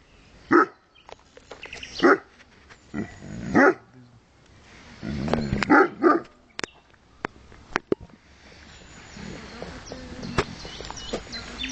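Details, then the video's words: Porthos, an 11-month-old dog, barks in loud separate bursts, four sharp barks in the first four seconds, then a cluster near five to six seconds, followed by scattered clicks and quieter background noise. "Porthos barking"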